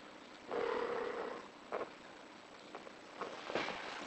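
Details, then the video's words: British Shorthair cat in heat giving one drawn-out, steady mid-pitched call lasting nearly a second, followed by a few short faint sounds against a constant hiss of background noise. "Cin Heat"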